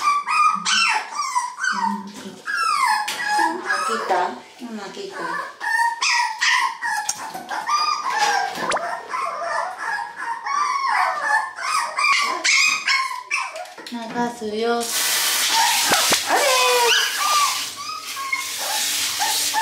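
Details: Two Toy Poodle puppies at their very first bath, panicking: high, wavering whimpers and yelps tumble over each other almost nonstop, with human voices in between and a burst of running water hissing near the end.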